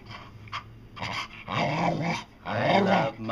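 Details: Indoors, the pet dog Dotty gives two sustained, harmonic grumbling howls that swoop up and then down, like a dog trying to talk, after a few short huffs, with a person urging her on nearby.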